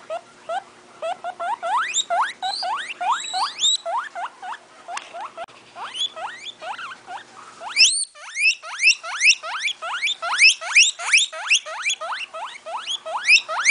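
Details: Guinea pig squealing in quick upward-sweeping whistles, a softer irregular run first, then after a short gap a louder, tighter burst of rising squeaks several per second.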